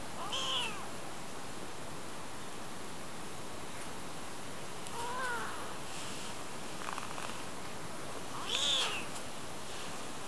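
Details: Very young kitten, not yet a month old, in the Japanese countryside in spring, mewing as it chases and climbs onto a palm: a shrill meow at the start, a lower one midway, another thin cry near the end, with constant background hiss.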